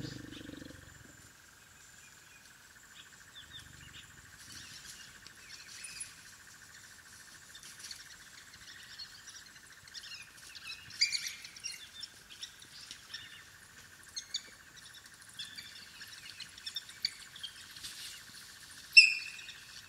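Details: African wild dog (Lycaon pictus) puppies at their den: scattered high, squeaky chirps and twitters that grow busier and louder toward the end, with a sharp squeal near the close, over a steady high insect drone and a brief low sound at the start.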